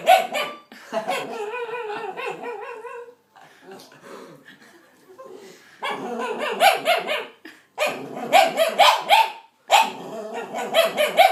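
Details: A timid dog gives strange, yodelling whines and yelps in bursts after a child stares at him, with people talking nearby.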